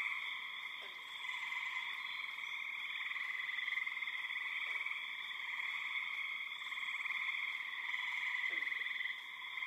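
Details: A dense spring peeper (Pseudacris crucifer) chorus of very many frogs forms a steady, high, ringing wall of overlapping peeps, with birds and insects also present. Spring peeper.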